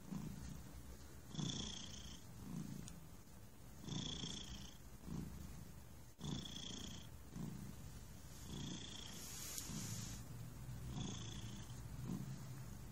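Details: Relaxed cat named Thunder purring continuously, a low throbbing rumble swelling with every breath about once a second, each inhale marked by a faint airy hiss.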